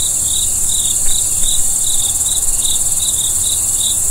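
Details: Crickets at night give short, bright chirps in quick succession, about eleven in four seconds, layered over a steady high-pitched insect drone and a soft low rumble.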